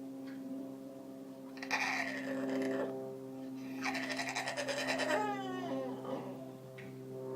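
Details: Lily, a pet Aussie Bulldog, making odd Wookie-like noises indoors: two long, warbling, groaning vocalisations, the second ending in a wavering falling tail, over a steady appliance hum, with a person then asking what is wrong.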